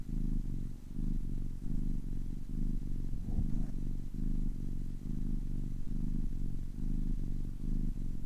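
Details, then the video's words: Ten-week-old kitten purring steadily, a low rumbling drone broken into rhythmic pulses as it breathes in and out, each cycle lasting under a second, with no other sounds. "10 weeks old kitten purring"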